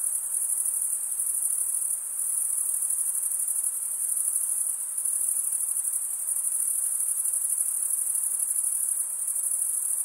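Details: Continuous shrill cricket chirping made by wing stridulation, a bright high trill holding even loudness for ten seconds with faint rhythmic pulsing and only brief slight dips.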